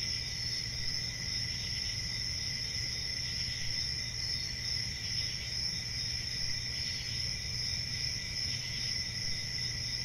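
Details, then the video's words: Steady cricket song, a bright, piercing trill with faint pulsing, above a lower ringing band and constant soft rumble. "1 Hour of Cricket Sounds"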